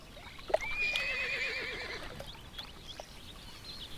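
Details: A semi-wild horse in Kalmykia, long escaped from its owners and living as a free mustang near a steppe lake, gives a single high, quavering whinny of about a second and a half, trembling as it fades, over soft outdoor noise.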